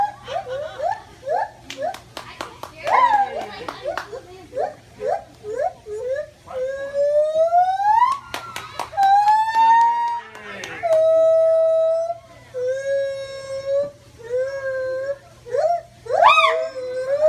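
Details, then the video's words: A white-handed gibbon at a zoo, hanging in its enclosure, gives loud, clear hoots that slide upward, some in quick repeated series and some as long rising whoops. "White Handed Gibbon Monkey , hanging and making Noises - Utica Zoo NY"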